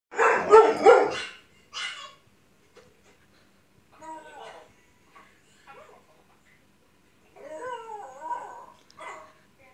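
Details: A dog watching dogs bark on TV lets out a pair of loud, harsh barks, followed by softer yips and whining sounds.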